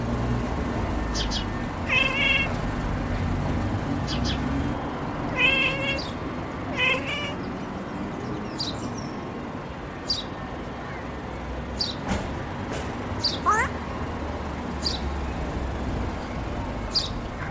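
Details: A sleepy female Siamese cat chirps at birds, giving short, stuttering chirps in quick bursts over a low background hum.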